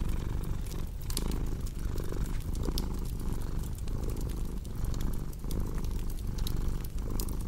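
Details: Low cat purr throbbing in short regular breath pulses beneath a busy layer of crackling fireplace sounds, with bright pops coming thick and fast.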